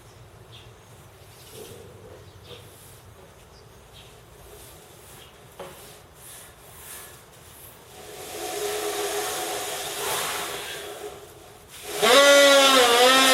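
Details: At Kamine Zoo, an Asian elephant blows air into a small gap, building from breathy rushing to a loud, wavering squeal.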